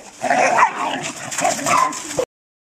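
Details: A Belgian Malinois puppy during its introduction to police protection training and first bite work gives excited, wavering whines and yelps, rising and falling in pitch over about two seconds, before the sound cuts off abruptly.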